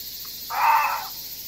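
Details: Reeves's muntjac giving a single short, harsh bark of about half a second. It is loud and broad in tone against a steady background hiss.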